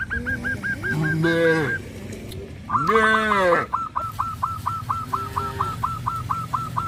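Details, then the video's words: Cattle roaming village streets on a traditional farm: two long, arched moos, each rising then falling, about a second apiece, while a bird repeats short sharp chirps in steady runs before and after. "Sound of Cows, Cows roam the village streets"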